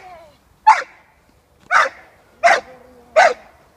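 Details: Six-month-old female American Staffordshire Terrier puppy during protection training with her handler, giving four sharp, loud barks spaced roughly a second apart, with faint speech heard before the first bark.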